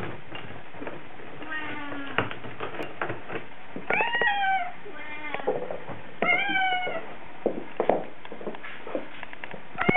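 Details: A Bengal cat crying in a car on a weekend trip downtown: several drawn-out, wavering meows, some rising then falling, spaced a second or two apart over a steady engine rumble, with faint guitar music in the background.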